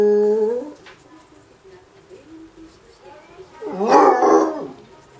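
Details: Basset hound howling in response to a town's regular announcement at 2pm on Monday; a short steady tone opens, then after a quiet stretch a loud, wavering, harmonic howl rises and fades.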